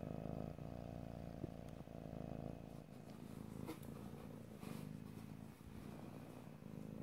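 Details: Purring house cat, recorded ear to ear in stereo: a low, buzzing drone that swells and fades with each breath, with brief rustling noises around the middle.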